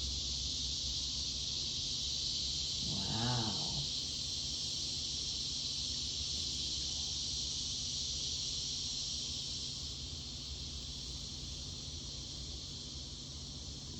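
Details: Cicadas drone in a steady, high, hissing chorus, broken once by a short squawky voice, heard alongside a pet African grey parrot.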